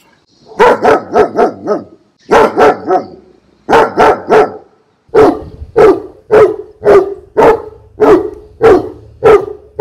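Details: Barking dog from a fifteen-breed collection played to stimulate pet dogs: clusters of three to four fast barks separated by short gaps, followed by evenly spaced single barks roughly twice a second.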